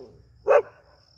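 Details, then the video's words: A Pointer dog, a gundog, in an aggressive mood gives one short, sharp bark lasting about a fifth of a second, loud and mid-pitched, set against near silence with a faint low hum. "Pointer dog in Aggression"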